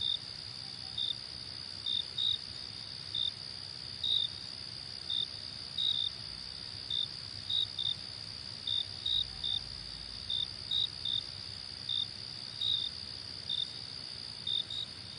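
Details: Night-style cricket chorus for relaxation: a continuous piercing high drone with crisp short chirps scattered about once per second, a few doubled, and a faint low rumble underneath.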